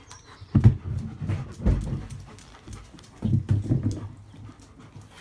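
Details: German Shepherd dogs from a pack panting in low, rough breathy bursts, a cluster near the start, another around the middle and a longer run toward the end, with quiet pauses between.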